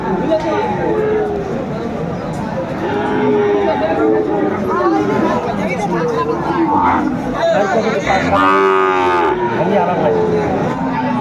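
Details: Friesian and crossbred bull calves at Aftabganj cattle market, Dinajpur, Bangladesh, on 10 September 2024 during bargaining; scattered harmonic moos, one strong ringing bellow near the end, over constant crowd chatter and speech.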